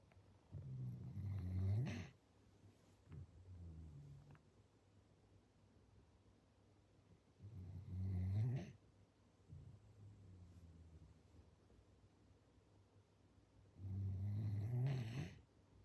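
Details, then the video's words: Sleeping Standard Poodle snoring: three low, rumbling snores, each lasting one to two seconds and spaced about six seconds apart, with quiet breathing between them in a still room. "スタンダードプードル きなこのいびき"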